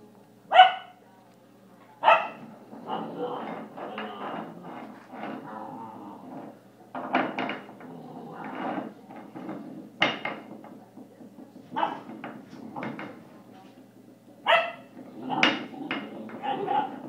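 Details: A 10-week-old German Shepherd puppy playing and fighting with an elk antler gives short sharp barks at irregular intervals, mixed with low growling and rustling of play over about seventeen seconds.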